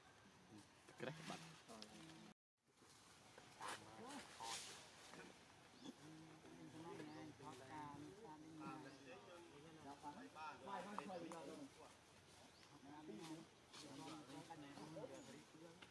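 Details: Baby monkey Jovi, scared while trying to follow its mother down from a tree, gives a long run of wavering, tonal squeals and whimpers. The cries come in quick overlapping bursts that rise and fall, with a short silent gap early on.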